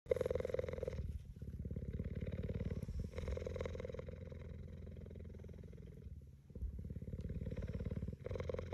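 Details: Cheetah resting with its head on a man's knee like a pillow, purring steadily: a deep, continuous, rapidly pulsing rumble that runs almost the whole time, with brief dips near one second and six seconds.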